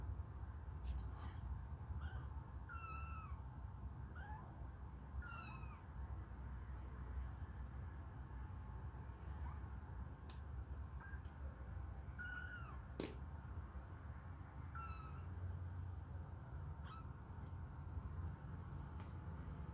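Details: Hungry kittens suckle a finger indoors, giving a steady series of short, high meows, some rising and some falling, repeated every second or two over a low rumbling background.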